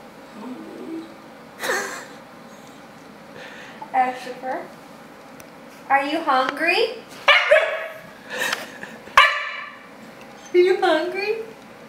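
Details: A Siberian Husky puppy kept waiting for dinner indoors answers a person's teasing speech with a string of yips, whining howls and short barks, each a brief wavering burst spaced a second or two apart.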